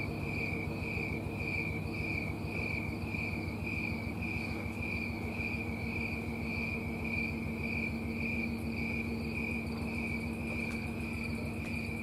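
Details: Tree-dwelling snowy tree cricket at night in Colorado, early September 2022. It gives a continuous series of regular, ringing chirps, close to two per second, and a faint low hum runs throughout.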